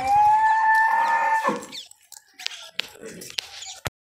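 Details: Holstein Friesian heifer on a dairy farm gives one long, steady, fairly high-pitched bawl lasting about a second and a half, followed by scattered knocks and clatter.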